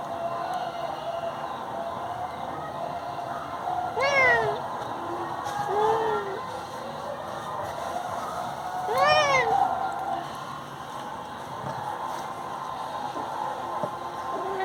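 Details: Indian cat meowing while disturbing people in bed, two clear arched meows about five seconds apart, each rising then falling, with a softer meow between them over steady background hum.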